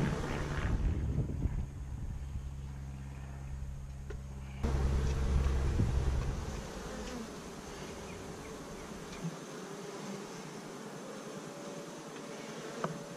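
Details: Beekeeping colony of honey bees, begun with 15000 bees in May 2017, recorded in week 5 with GoPro cameras; a dense low droning hum with steady tonal bands, louder early and then settling into a quieter continuous buzz.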